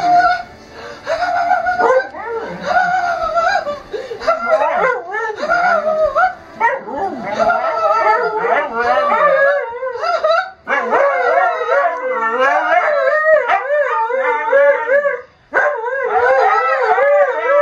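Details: Two Siberian Husky sled dogs howling together with a person singing along; wavering, yodel-like howls rise and fall over one another, mixed with spoken words early on, growing into a steady chorus of overlapping wavy tones.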